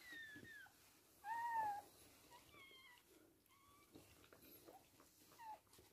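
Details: Toy Poodle giving birth to three female puppies indoors; thin, high squeaky cries that bend up and down, scattered over a few seconds with one longer arched squeal, over quiet room noise.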